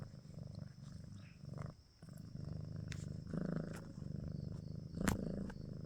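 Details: Cat purring in close, low, pulsing rumble swelling and fading with each breath, briefly dropping away near the second mark before resuming stronger, with a few sharp clicks.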